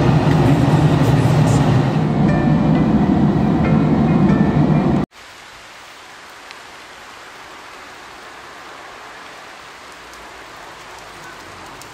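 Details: Loud rumbling vehicle or train noise with rain fills the first five seconds, then cuts abruptly to a quiet, steady low hiss.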